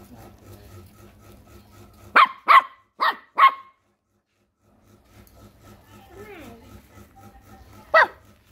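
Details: Barking at a crab, a puppy gives a fast run of four sharp barks, falls quiet, then lets out one more bark near the end while a person speaks softly in the background.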